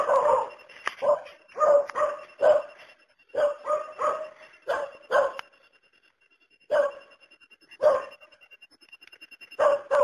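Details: A steady series of a dog's barks, one bark after another at a brisk pace, then a pause of about a second before more isolated barks and a closing cluster.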